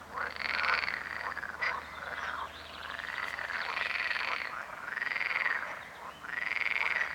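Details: Several frogs croak in a dense chorus, each call a harsh buzzing arch that swells then drops, coming in waves about every second with brief lulls between.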